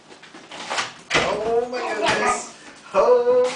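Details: An excited basenji greets his owner home after a two-day trip with wavering, yodel-like calls that rise and fall in pitch.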